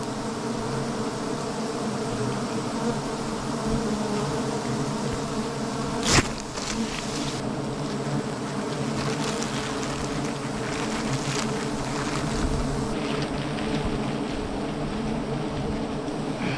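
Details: Honey bees buzzing: a dense, steady, continuous drone with layered humming tones, one brief sharp click midway.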